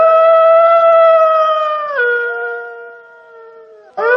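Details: Gray wolf (Canis lupus), howl.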